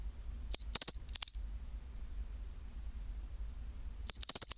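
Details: Chinchirorin of a pine cricket at 24°C: a run of three clear, high, metallic notes, a long pause, then a denser ringing trill near the end, with faint low rumble underneath.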